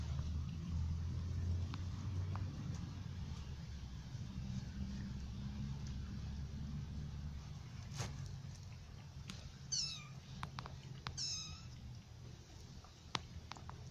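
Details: A British Shorthair mother cat, nursing kittens and eating fermented baked milk, gives two brief, high mews over a steady low rumble, with soft clicks and taps.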